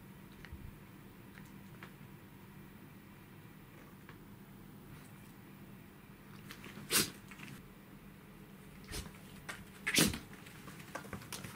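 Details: Roku, a Pembroke Welsh corgi puppy, recorded on 14 August 2015: two sharp, explosive sneezes near seven and ten seconds, with a few softer snuffling clicks between and after, over a low steady background hum.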